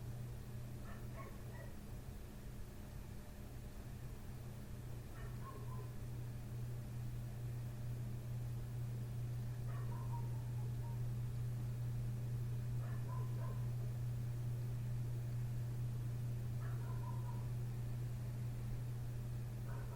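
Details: Neighbour's dog outside a window barking through the night, from 1:30 am until 3 am, growing louder; short yelping barks come in pairs or brief clusters about every four seconds above a constant low mechanical hum.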